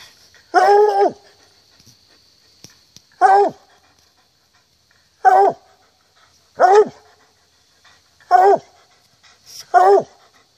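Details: In October 2014 on a hunt, a hound bays in drawn-out, rich, falling howls, repeated every one to three seconds.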